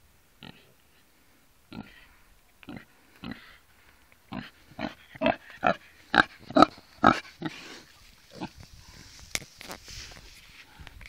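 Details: Kunekune piglets from a litter at a farm in the Yorkshire Dales, giving short broadband grunts and squeals in irregular bursts, quickening and growing louder toward the middle, then fading into scattered rustling and clicks.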